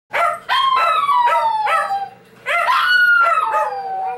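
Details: A 12 lb Shih Tzu howls loudly in two drawn-out, wavering bursts, each opening with sharp yelps.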